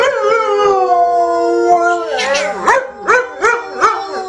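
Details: Ben the dog sings a howling duet with a woman: a long level howl gives way to four rising, wavering howl bursts, roughly one every half second.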